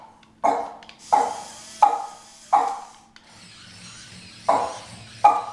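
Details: Boston Terriers, two dogs reacting to a remote control toy skunk, bark sharply: six loud, short, mid-pitched barks, four in quick succession about every 0.7 seconds, a pause, then two more.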